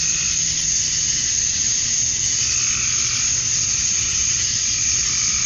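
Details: Summer dusk in Georgia, USA, filled by a chorus of male cicadas singing to draw females. The loud, steady, shrill buzz never pauses, and a faint lower warble wavers beneath it.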